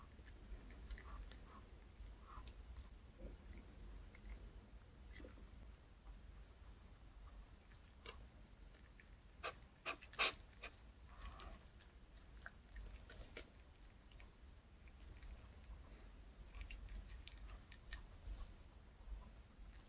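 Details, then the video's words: A pet dog, Reka, eating a chocolate-style cupcake and milk treat bought at K Pet Fair, indoors; soft irregular chewing clicks and licking smacks, with a cluster of sharper bites near the middle over a quiet room. "강아지 먹방 ASMR 초코 컵케이크와 우유 Choco cupcake and milk MUKBANG eating show"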